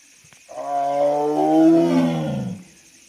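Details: Tiger roaring: one loud, drawn-out roar lasting about two seconds, rich in stacked harmonics, swelling and then sliding slightly downward in pitch before fading; no other sounds in the background.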